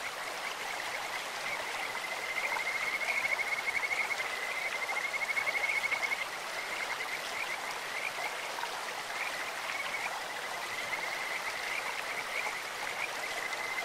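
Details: Kajika frog in a clear mountain stream giving a long, sweet, high trill of fast repeated notes lasting several seconds, then fading, with continuous running-water noise throughout.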